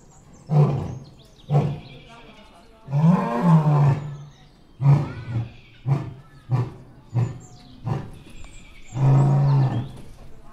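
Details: A white male lion at Paradise Wildlife Park gives a full-throated roar in deep, throaty bursts, with long moaning roars broken by shorter grunts.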